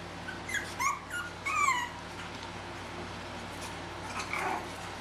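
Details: Chihuahua puppies from two litters, 10 and 13½ weeks old, playing in a carport: a few high, sliding whines and squeaks in the first two seconds, then a softer yip near the end, over a steady low hum.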